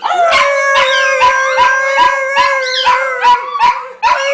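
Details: Pet dogs singing as a group: a sustained, steady howl holds underneath while a second voice slides up and down above it, with sharp yips cutting in about every half second.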